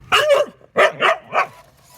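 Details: Pet dog at play chasing her remote-control car, giving three short, excited yelping barks with a slightly whiny, wavering tone in quick succession, followed by quiet.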